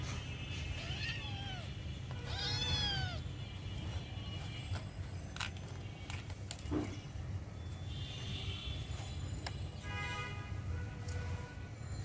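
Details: Kittens and cats play-fighting in a garden outdoors; two arched mewing calls early on, then scattered clicks and a brief higher cry later, over low rumbling background noise with faint music-like tones.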